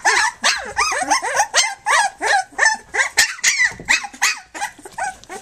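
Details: Three-week-old puppies of the dog Flute, nursing and playing on their three-week birthday, give rapid high arched whines and squeals about three times a second. The cries overlap as several pups call at once.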